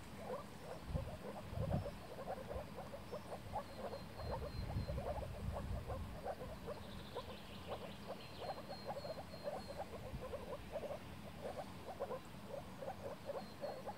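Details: Moor frog (Rana arvalis) chorus in spring 2017, mating in a flooded forest pool in Warmia: soft, bubbling, low croaks in quick overlapping runs, a mating call.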